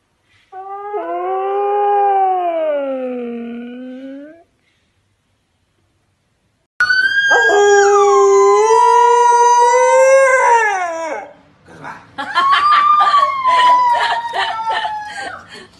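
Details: Key the husky, a pet dog, howls in long sweeping tones: one smooth rise-and-fall howl, a pause, then a louder wavering howl with bright overtones, and a final quavering, pulsing howl.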